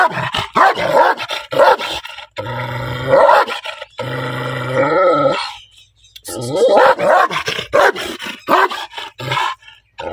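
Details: Angry black dog barking loudly: bursts of harsh, rough barks in quick clusters, broken by two longer, steady, droning growl-like tones, then more rapid barking near the end.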